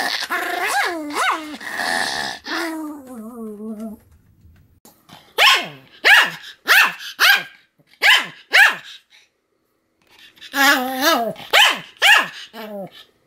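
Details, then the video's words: Pomeranian named Sam barking continuously, recorded 7 October 2015: a drawn-out whining howl for four seconds, then a run of sharp barks, a pause, and a cluster of yelping, whine-edged barks. "犬の鳴き声 ポメラニアン サムの連続吠え"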